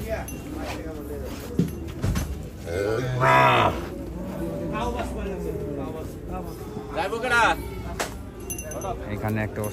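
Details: Cattle coming off a truck at Hazratpur market in the morning. A short, rising bellow stands out midway through busy market noise, with people talking and brief clinks around it.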